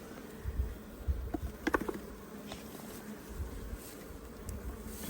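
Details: Honey bee swarm being caught, a steady low droning hum with a layered tone, broken by soft thumps and brief clicking knocks.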